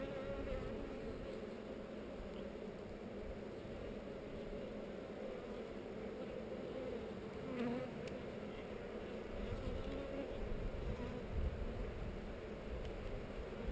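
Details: Open hive of honey bees on heather during an inspection, queen visible, GoPro recording; a thick, unbroken droning hum of the colony holds steady, with faint scrapes of frames being handled.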